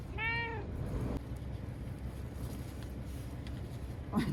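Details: Frightened ear-tipped TNR cat Chanta, sheltered indoors in Okinawa as Typhoon No. 10 approached in September 2020, gives one short harmonic meow that rises and falls, followed by steady low rumbling noise and a faint knock.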